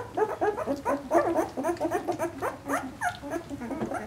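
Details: Two-week-old Vizsla puppies from Piper's litter of a dozen, born 2-20-12, crying in a chorus of rapid overlapping whimpers and squeaky whines, many short rising and falling notes tumbling over each other.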